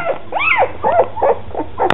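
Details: Two-week-old standard poodle pups, red and black, from Molly and Cooper's second litter: a few arching, squeaky whines and short yelps in quick succession, ending in a brief click.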